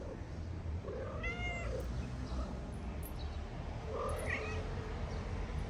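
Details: Homeless cats in Morocco, kittens play-fighting on a wooden house as their mother eats; two clear meows, one high with stacked harmonics near the second mark, another a few seconds later, against constant low rumble.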